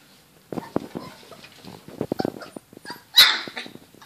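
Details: Border Collie puppies at 28 days old playing indoors: a run of short, soft yips and little barks, then one sharp, high squeal.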